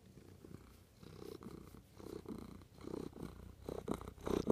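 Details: Loud, close cat purr rising and falling in breathy pulses about every half second, the rumble growing stronger toward the end.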